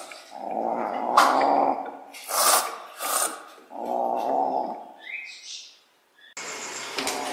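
Sunda leopard cat giving three harsh, raspy growls, each about a second long, followed by a brief higher squeak and a burst of handling noise.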